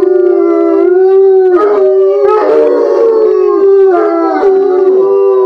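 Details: Four bloodhounds "sing" together, as they often do for no reason, in a sustained chorus of deep, mournful howls; long wavering tones slide and overlap, with brief yips breaking through.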